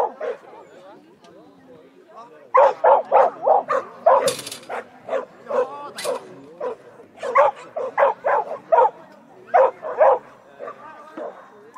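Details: Schapendoes dog on a clean agility course run at Nes on August 7, 2016, barking in quick bursts of sharp, loud barks, several per second, with short pauses and a voice in the background.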